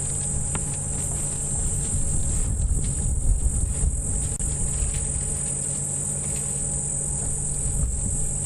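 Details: At sunrise on 2 November on a safari drive, cicadas keep up an unbroken, high, hissing buzz throughout, over a low engine rumble, with elephants feeding nearby and a quiet dawn chorus.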